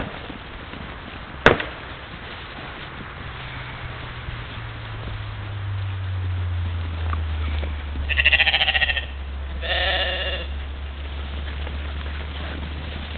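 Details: European mouflon herd playing in the morning at a waterhole in Czempiń forestry district, Wielkopolska, Poland, 13 July 2018, caught by a trail camera; two harmonic bleats near the end over a steady low hum and a sharp click.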